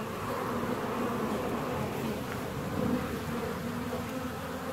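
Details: Buzzing of a honey bee colony in a beehive 17 days after a split, a constant thick hum with a deeper rumble underneath and one brief louder swell near the end.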